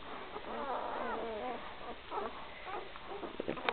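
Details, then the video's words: Three-day-old Great Dane puppies in a litter, making overlapping squeaky, wavering whines and squeals that rise and fall, with a woman speaking softly nearby. "Gracie x Newman 2012 pups 3 days old"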